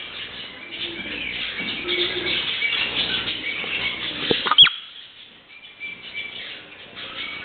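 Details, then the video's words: A pet marmot gives a single sharp, piercing whistle-like screech over steady wind-like noise. "Пронзительный свист (крик) сурка. Marmot`s piercing screech"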